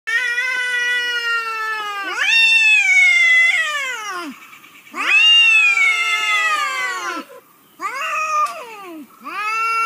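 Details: Cats meowing: long, drawn-out arching meows that swell and fall in pitch, two sustained cries of about two seconds each followed by shorter, clipped meows, in a quiet setting.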